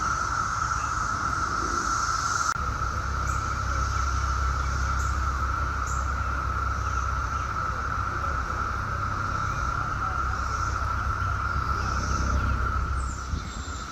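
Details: Chorus of Brood X 17-year periodical cicadas at Chantilly, Virginia, in suburban Washington, D.C., 2021 emergence; a continuous even drone runs the whole time over heavy low rumble like passing traffic.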